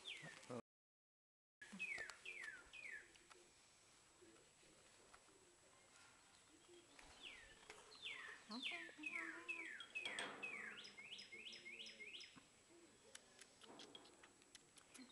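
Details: Baby squirrels fed from a syringe keep up bursts of thin, high chirps that drop in pitch, growing into a dense rapid series toward the end, over light handling sounds.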